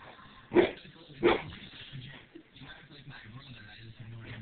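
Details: Pit bull fighting with its owner: two sharp, loud barks about a second apart, then quieter scuffling, faint whimpers and low voices in the background.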